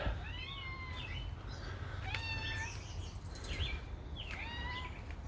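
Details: Cat meowing: four or five clear harmonic meows, each rising then falling, spaced about a second apart over steady low background rumble, with a few faint clicks.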